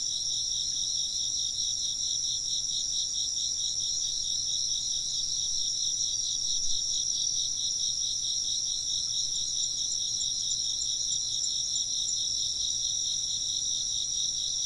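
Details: Continuous night-like chorus of chirping insects, rapid wavering high trills repeating evenly and merging together, with only a faint low hum underneath.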